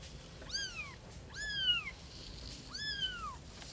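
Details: Domestic cat, from a household with a mother cat and her three kittens, giving three clear meows that rise briefly then slide downward, each under half a second, spaced about a second apart in a quiet indoor setting.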